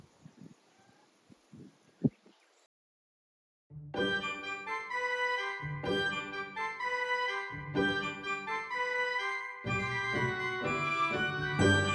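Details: Organ-like keyboard music plays after a short stretch of faint knocks and a sharp bang, with no animal voice.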